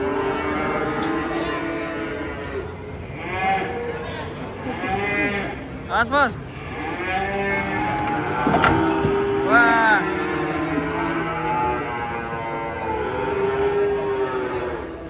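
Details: Large cattle coming down off a truck during unloading: repeated moos, some long and level and others short and bending, follow one another over fifteen seconds amid sharp clatters and background voices.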